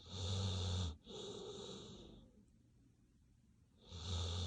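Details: Sleeping dog snoring: two long, rasping, harmonic-rich breaths of about a second each, back to back, then a quiet pause of nearly two seconds before the next heavy snore begins, in an otherwise still room.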